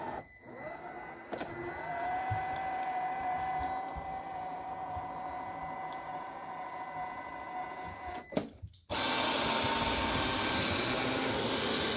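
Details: A steady mechanical whine and hum, like a small vacuum running indoors, ends in a louder rush of noise.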